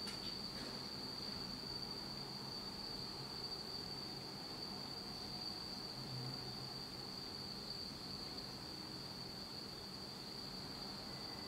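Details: On a pitch-dark autumn night in Japan, insects keep up a faint, steady high trill at one pitch, partly buried in broad background hiss and low rumble.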